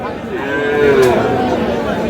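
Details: At Aftabganj cattle market in Dinajpur, Bangladesh, where Sahiwal bull calves are traded, a single long harmonic moo swells and fades beneath steady human chatter.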